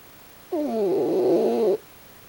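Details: Pochi the raccoon dog snoring in sleep, pulling a strange face: a single nasal, harmonic snore lasting just over a second, with a steady but slightly wavering pitch, set in a quiet room.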